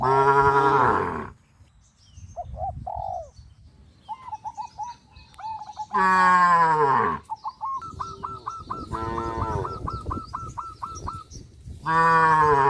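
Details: Herded cattle on a rural road in the countryside: a deep, drawn-out moo opens, another comes midway and a third at the end, with quieter stretches filled by rapid, repeated high chirps and soft calls between them.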